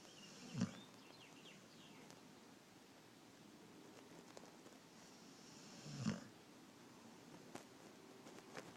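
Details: Marble, a pug, asleep with eyes open and snoring in a pig-like way; two short, low, snorting breaths about five seconds apart over a steady faint hiss.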